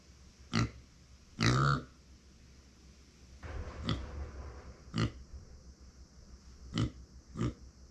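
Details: A pet micro pig named Uni, female, born September 2020, voicing lonely cries when nobody is near: a run of about seven brief grunts, one longer and louder near the start, spaced irregularly over several seconds indoors.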